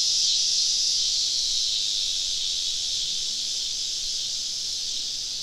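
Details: Southern summer evening in deep woods, cicadas all around a campsite: an unbroken, high-pitched buzzing wall of sound, slightly brighter at first, then easing a little softer toward the end.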